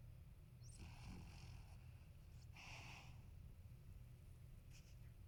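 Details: Marron, a 13-year-old male apricot-gold toy poodle, snoring loudly while asleep indoors behind someone editing on a computer; two rough, breathy snore bursts with a low rumbling base, the second stronger, over a quiet room hum.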